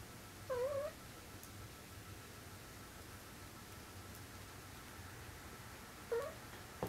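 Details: Munchkin kitten indoors, meeting soap bubbles for the first time, gives two short, high, wavering mews, one near the start and another about five seconds later, over a quiet room hum.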